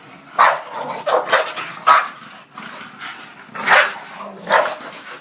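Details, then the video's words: Angry bulldog Shena in a fight, loud short barks in bursts every half second to a second, with a person's voice calling "come on" between them. "Shena getting mad"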